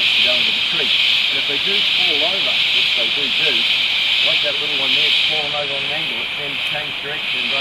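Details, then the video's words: Rainforest insect chorus from Tamborine National Park, Australia: an unbroken, piercing high hiss with faint rhythmic pulsing, overlaid by a person talking in a low voice. "bruit dans la foret tropicale (insectes)"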